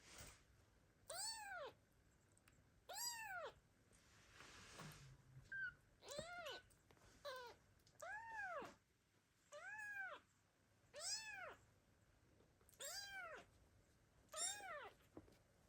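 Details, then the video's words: Abandoned kittens meowing loudly, calling for their mother cat: a string of arched, harmonic-rich meows, each rising then falling, repeated roughly every one to two seconds, with a few softer sounds between them. "The kittens meow loudly and call their mother cat, but she abandoned them."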